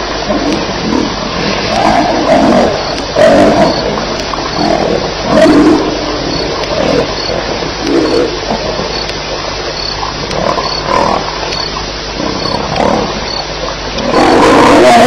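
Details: Lions fighting at night at Elephant Plains, 2:11am on July 9, 2010: loud, low, throaty roaring and grunting bursts that repeat roughly every second throughout, rough and overlapping, over a steady background hiss.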